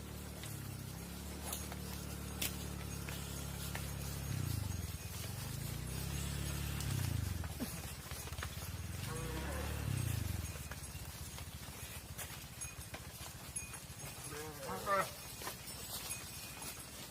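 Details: Cattle at a farm barn, cows heading inside while their calves stay out; deep, drawn-out low moos swell and fade over the first ten seconds, followed by a brief higher call and background clatter.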